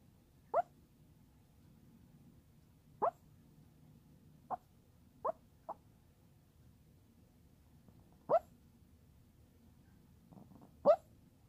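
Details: Sleeping Chihuahua, apparently dreaming, making soft brief muffled yips or whimpers, single short sounds spaced a few seconds apart against a quiet background.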